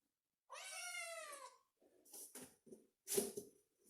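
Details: Kitten gives one rising-then-falling harmonic meow lasting about a second, followed by soft rustling and handling noises indoors.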